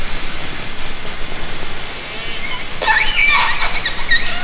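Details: Underwater orca sounds captured with a hydrophone from a kayak in Haro Strait, summer 2010: a bright burst of rapid clicking, then a tangle of short high whistles and squeals over hissing water noise.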